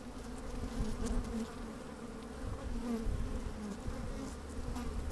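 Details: Inside an opened beehive on a sunny, slightly windy day, a continuous low drone of working honey bees, swelling and easing, with rumbling low-frequency wind noise and a few sharper buzzes from bees moving near the microphone.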